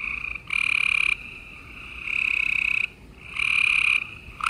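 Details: Gray treefrogs chorus at night in Houston, Texas, on 28 April 2020, each giving a loud, musical pulsed trill lasting under a second.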